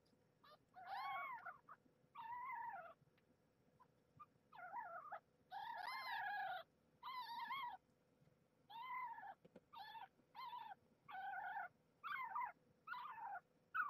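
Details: Domestic kittens squabbling over nursing spots while their mother Marge, a former stray, nurses them; one kitten, Maggie, defends her spot and shows displeasure. Rapid series of short, rising-falling harmonic mews and squeals, about a dozen in quick bursts.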